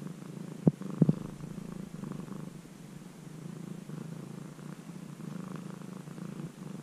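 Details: Former stray kitten, now almost a house cat after three months of care, purring with the camera held very close: a steady low rumbling drone with a soft pulsing rhythm, broken by two brief sharp clicks near the start.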